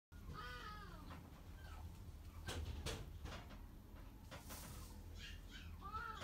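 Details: Silver tabby American Shorthair born 22 February 2019, giving a few short, falling meows near the start and end, with sharp knocking and clattering noises in between.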